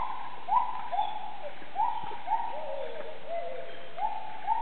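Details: Bornean gibbons calling in the treetops of the jungle in the Maliau Basin, Sabah, Borneo, East Malaysia, heard while walking out. Short rising whooping notes repeat roughly every half second, with a lower wavering, sliding phrase midway.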